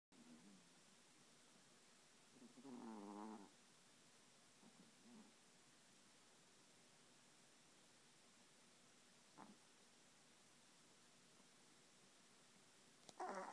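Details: Dino, a Yorkshire terrier, snoring: one loud buzzy rasp with stacked harmonics around the third second, a few softer breaths after it, otherwise quiet room hush with a click at the end.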